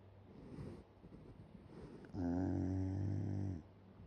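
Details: Soft breathing noises from a Shiba Inu sleeping open-mouthed, then one long, rough, vibrating snore of about a second and a half, with a faint steady hum underneath.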